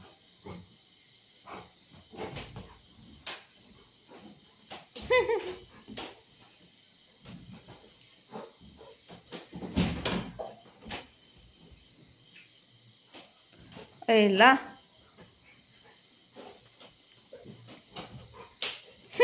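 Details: While playing with its mother, golden retriever Buzo gives two tonal, wavering whines about nine seconds apart. The second whine is loud and bends up and down. Scattered thumps, rustles and clicks of play fill the gaps.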